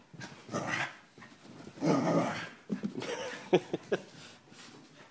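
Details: Two dogs, Kirby and Cricket, at play indoors: rough, rumbling growls swell in bursts, then a run of short, sharp barks or yelps closes the clip.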